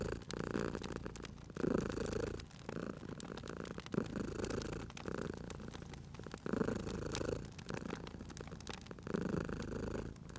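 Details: Cat asleep by a crackling fireplace, purring in steady low rumbling bursts that rise and fall roughly every two seconds, with frequent crisp crackles and pops of the fire between and over them.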